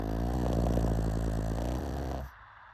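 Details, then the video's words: One long, low, vibrating snore from a pug, rough and rattling for over two seconds before it cuts off into near silence. "Pug Snoring"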